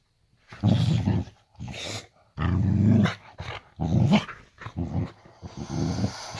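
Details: Boxer dog growling indoors at bedtime in a bedroom: deep, throaty growls in four or five long pulses, each lasting about a second, with short silent gaps between them.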